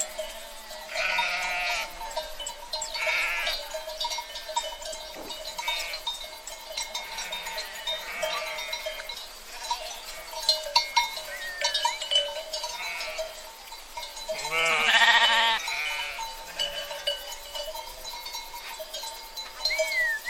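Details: Herd of sheep bleating: several loud, wavering, harmonic bleats at irregular intervals, the strongest near the start and around the three-quarter mark, over steady ringing bell-like tones and a soft background murmur.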